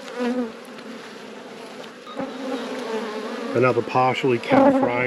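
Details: Honey bees humming in an apiary hive under inspection: a soft, steady drone through most of the clip, joined by a person talking over the buzz in the final seconds.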